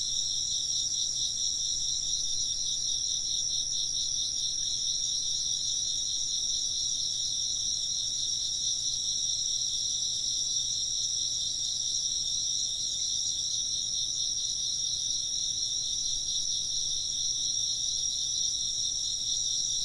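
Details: A continuous wall of insect chirping: several overlapping high-pitched trills pulse quickly and evenly without pause, holding a constant level for the whole stretch, with no other clear sounds.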